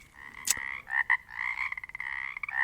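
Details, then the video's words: Chorus of Pacific chorus frogs recorded in the Pacific Northwest: overlapping raspy, ratchety croaks from several frogs in near-continuous pulses, with one sharp click early on. "Sounds of the Northwest: Pacific chorus frogs"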